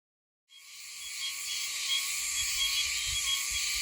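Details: Oshima cicada (Meimuna oshimensis) in Okinawa, singing high in a tree; after half a second of silence a dense, hissing metallic buzz swells in and holds steady, with faint low rumbles beneath.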